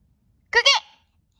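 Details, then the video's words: Matching its owner's loud or soft barking, the pet dog lets out a single loud, high, double-pulsed yip lasting under half a second, with silence around it indoors. "주인이 크게 짖으면 크게 짖고 작게 짖으면 작게 짖는 강아지"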